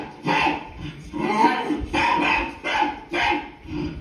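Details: A dog called Leo answers barking from a TV with a handful of loud, broad barks, some drawn out slightly, spaced roughly half a second apart.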